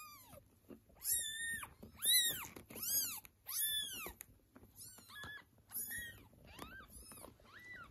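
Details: Domestic cat family, a mother cat reclaiming kittens that were taken away while they meow; rapid string of high, bent meows, several per second at first, then thinner, shorter cries, over faint room hum.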